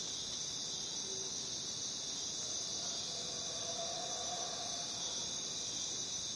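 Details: In jungle surroundings, crickets keep up a constant piercing high trill, many voices blending into one band, while faint brief lower whistled tones appear briefly in the background.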